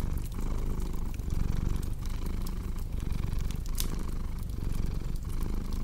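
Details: Deep, rough purring from a cat, rhythmically rising and falling with breathing, mixed with crackling fire sounds and an occasional louder snap.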